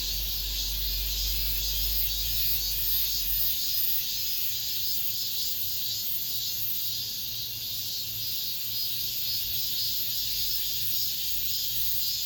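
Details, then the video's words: Cicadas sing in an apartment complex at summer's end: a dense, continuous high-pitched buzzing chorus with a slow pulsing swell. A low rumble is heard during the first few seconds and again near the end. "올 여름 마지막 매미소리"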